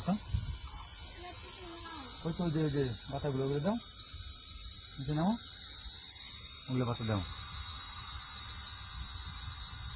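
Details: A cricket perched on a palm frond gives a steady, high, shrill, loud trill that runs unbroken while people talk nearby, complaining of the noise and trying to chase it off.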